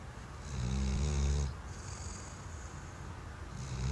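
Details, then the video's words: Weimaraner snoring while asleep, one deep rattling snore of about a second on the inhale, then softer, airy breathing before the next snore begins. "Snoring Weimaraner"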